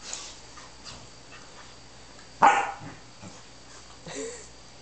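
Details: One of two Corgis, Cosmo and Bella, lets out a single sharp, loud bark partway through, with a few softer, fainter sounds before and after against quiet background hiss.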